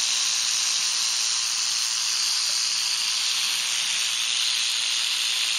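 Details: A canebrake rattlesnake, also called timber rattlesnake, on a dirt road in North America at the close of herping season. It keeps up an unbroken, even, high sizzling rattle with no pauses.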